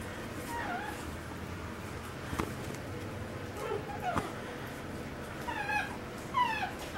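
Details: Imperial Shih Tzu puppies giving short high whines that slide downward, each with stacked overtones, several scattered through the stretch and the last ones loudest, over faint handling noise and a few sharp knocks.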